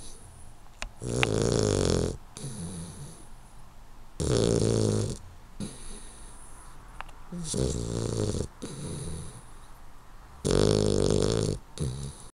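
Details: A 12-week-old male Hungarian Vizsla puppy snores while sleeping, with loud rasping breaths about every three seconds.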